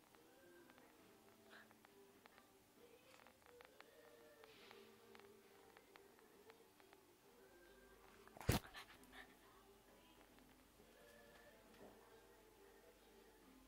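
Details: Shih Tzu playing with her ball, giving repeated soft, nasal whines and whimpers in short bursts, with a single sharp loud knock partway through.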